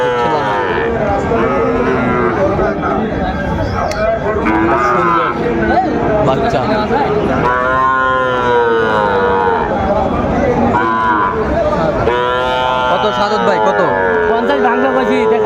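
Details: Sahiwal bull calves at a livestock market in Bagerhat, Bangladesh, 14 November 2024: several deep, drawn-out harmonic moos overlap, some rising and falling, amid steady chatter from a crowd of people bargaining.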